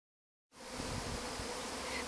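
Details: Swarming honey bees searching for a place to settle after leaving a colony behind a wall; after a half-second of silence a dense, steady buzzing hum sets in, with even humming tones and no other clear sounds.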